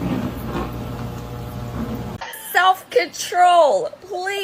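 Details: Kitten meowing: after two seconds of low steady hum, a run of about four short, arched, wavering meows follows in quick succession, the longest one bending upward then falling, with brief quiet gaps between them.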